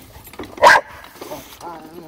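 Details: A female Rottweiler that dislikes a wagon gives one sharp, forceful, deep-chested bark, followed by a person telling her to stop.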